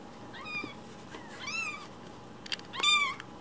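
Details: One-week-old foster kitten, umbilical cord still attached, gives thin high-pitched meows: three short arched cries rising then falling, spaced about a second apart over a faint steady hum.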